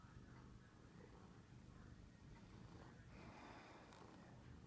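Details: Purring from Binks, a male house cat who missed his owner during a week away and always purrs this way: a dense, continuous low throbbing with soft breathy noise and a brief rustle near the end.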